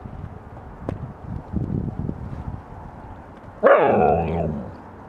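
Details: Siberian husky out in the snow while eating snow: soft crunching and shuffling give way to a sudden loud, drawn-out whining yelp with rich harmonics that slides downward and fades over about a second.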